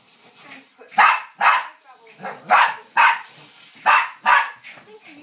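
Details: A Bichon Frise playing with a Lowchen on a settee during a burst of frantic play. Sharp, high yapping barks come in pairs, about six in all, with soft scuffling between them.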